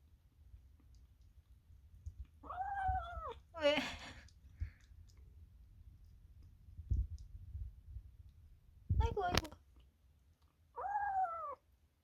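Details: Korean Shorthair kitten making a sound said to come only in kittenhood, while eating something very tasty; short arched whining calls about a second long, separated by quiet gaps, with a few clicks and rustles between them.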